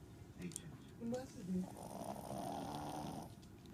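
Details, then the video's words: Dog snoring in a home in Japan: one long, rough rasping breath lasting over a second, after a few brief spoken sounds, over a low background hum. "THE DOG IS SNORING"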